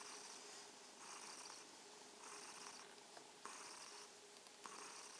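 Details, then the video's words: Evening greeting from a purring kitten: rhythmic, buzzy purr surges repeating about every 1.2 seconds, each swell broad and raspy, with occasional soft clicks and a low steady background hum. "Abendgruß vom schnurrenden Kätzchen - Evening greeting from the purring kitten"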